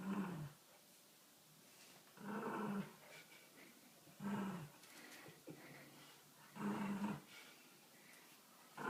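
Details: A dog producing motorcycle-like growls: four low, rumbling, engine-like bursts separated by pauses of one to two seconds.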